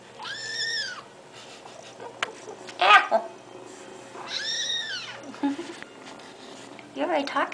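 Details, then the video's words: Talkative pet kitten in the morning gives two long arched meows about four seconds apart, each rising and falling, with a short chirpy call near the end, a woman speaking to it, and small indoor knocks. "L.C. Talkin' It Up"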